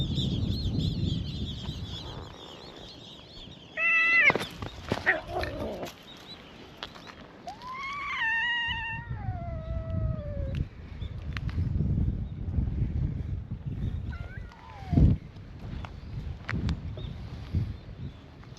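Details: Island stray cats gathered outdoors, meowing in a chorus that greets a visitor; a short meow near 4 seconds, a long falling meow from about 8 to 10 seconds, and a brief call near 14 seconds, with scuffling and low rumble.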